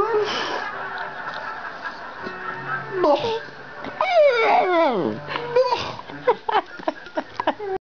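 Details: Indoors, Cobbler the chatty dog talks with Zak: long swooping glides that drop steeply in pitch, then a run of short, sharp, clipped sounds toward the end.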